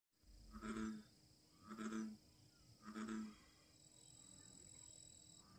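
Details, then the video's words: American bullfrog bellowing: three deep, throaty, low-pitched grunts about a second apart, each a short resonant drone, followed by quiet, while a thin steady insect whine runs high in the background. "Bull frog bellowing"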